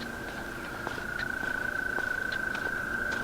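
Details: American toads give a long, steady, high musical trill that runs unbroken, heard along a hiking trail beside a creek. At first they were taken for tree frogs.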